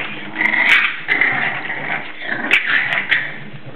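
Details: Indoors, English Bulldog puppies aged seven weeks wrestle in play, giving continuous grumbling growls and whiny squeals that swell and fade in short bursts, broken by several brief thumps and clicks.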